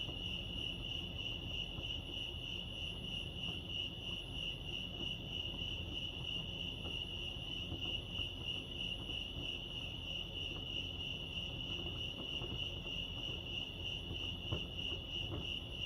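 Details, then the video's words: Crickets at Lake Arrowhead, California sustain a rapid, faintly pulsed high-pitched chirping, steady from start to end, with quiet low-frequency ambient noise beneath. "Serenity sounds crickets chirping lake arrowhead"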